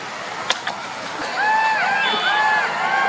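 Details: A few sharp clicks, then golden jackals at night break into overlapping arched wails, each rising and falling smoothly, several voices layered together.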